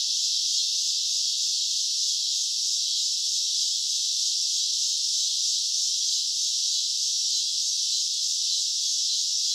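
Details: High, steady rasping drone of cicadas in summer at night, continuous and hissing with no breaks or other sounds.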